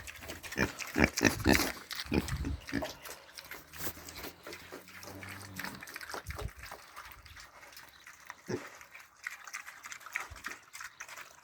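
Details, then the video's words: Piglets grunting while eating: irregular short grunts mixed with wet smacking and chewing noises, a low steady droning tone in the middle, busiest in the first two seconds. "The grunting of funny piglets"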